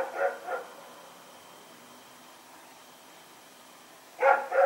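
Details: Rex, a dog running around at night, recorded on 21 September 2018: two sharp barks at the start, a long quiet gap with faint background hiss, then two more barks at the end.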